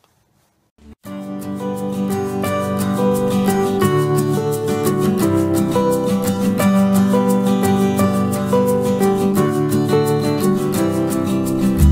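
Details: Plucked guitar or harp music plays steadily after a brief silent opening, with no animal sounds.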